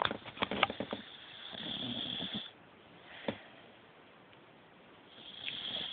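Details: A sleeping puppy snores in short wheezy, sniffling bursts during the first two and a half seconds, goes quiet, and then gives one more breathy rasp toward the end.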